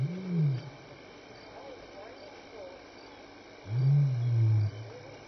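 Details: Lion roaring at dusk between 6 and 7 PM at Elephant Plains Game Lodge, South Africa, in May, contact calling while walking by: two deep, loud moaning roars about three seconds apart over a steady background of night insects.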